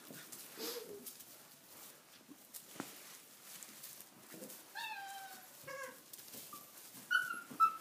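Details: Six-week-old Tibetan Mastiff puppies playing wildly in a stable for the first time, wet weather outside; a burst of high harmonic whines and short yelps from several pups comes midway, with a sharper squeal near the end over scuffling.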